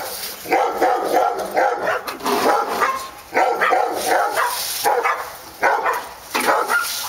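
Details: Several dogs at Park Drive barking in dense, overlapping bursts, rapid harsh woofs tumbling over each other with brief pauses around three and five seconds, steady hiss in the background.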